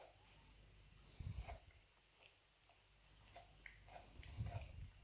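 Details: Labrador named Nero indoors, busy chewing a dried beef rawhide bone: soft low crunching bursts near 1.3 and 4.5 seconds with faint clicking bites between, quiet room hum underneath.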